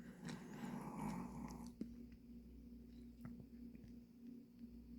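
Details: Pomeranian named Dujin asleep indoors after playing hard, giving one long, low, rasping snore for over a second. The room hum continues steadily, and a few faint clicks follow.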